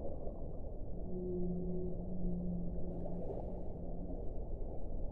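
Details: Whale song: a long, steady, low moaning tone with a fainter higher partner tone, held for about three seconds and then trailing off in a weaker echo, over a constant deep rumbling underwater wash.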